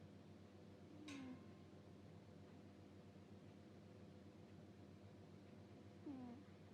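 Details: A cat snores in its sleep with a puffing "puu puu": two short, low, descending whistled breaths about five seconds apart, with a sharp click between them and steady background hum.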